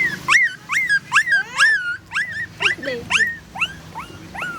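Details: Mother dog nursing four puppies: a rapid run of high, thin whimpers, each sweeping up then sliding down, about a dozen in under five seconds, uneven in spacing, with faint household background.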